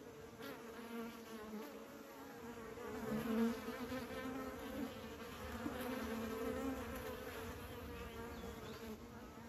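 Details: Bees in a busy mass, a steady continuous droning buzz with a low hum and a brighter overtone above it, swelling a little around the middle before settling back to an even drone.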